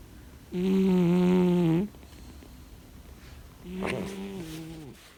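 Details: Domestic cat asleep, snoring: one long, loud, steady low rasp of over a second, a pause, then a softer, shorter snore with a brief click at its start.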